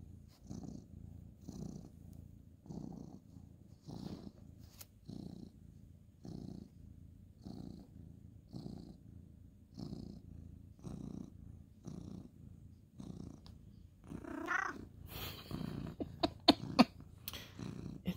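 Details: Ginger tabby male cat purring while being petted on a bed at bedtime, indoors, 2/11/2023; a steady low rumbling purr pulsing about every half second, with soft clicks and rustling of bedding near the end.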